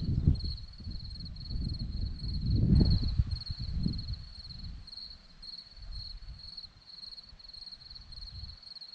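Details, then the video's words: Crickets at a hillside in Zorlesti, Romania, keep up rapid high pulsed chirps throughout, while gusty low rumbling, like wind, is loud in the first half and then fades. "Crickets sound"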